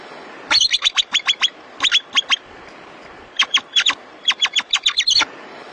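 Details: A marmot calls out to its companions in bursts of sharp, high whistled chirps, repeated quickly in short series.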